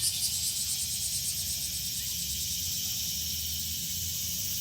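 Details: Summer-afternoon park chorus of cicadas: an unbroken, high-pitched buzzing drone with a rapid pulsing texture, and low background rumble beneath.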